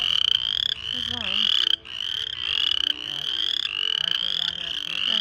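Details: Very loud frogs in the countryside, giving high rising trilled calls in quick overlapping runs, with a short gap near the two-second mark and a brief lower sliding sound near the start.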